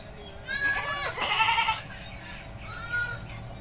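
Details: Goat in a village while being bathed: a loud, quavering bleat rising and holding for over a second, then a softer second bleat after a short pause, over low rural background hum.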